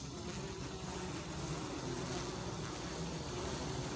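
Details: Honey bees, including queens, handled as a beekeeper picks out queens from a colony: a steady, dense low hum of many bees, a continuous droning buzz without pauses, over a noisy background.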